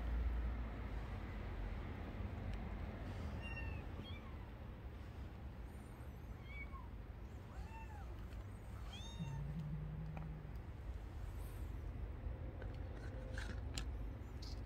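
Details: Stray kitten crying outdoors: a burst of thin, high mews, each rising then falling, repeated several times in quick, irregular succession through the middle of the recording, over a steady low background rumble.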